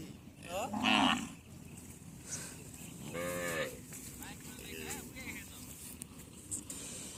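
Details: Two clear moos from deshi cows at a Padma char market in the India–Bangladesh border area: a strong bellow after one second, then a longer, lower moo around three seconds, with market chatter beneath.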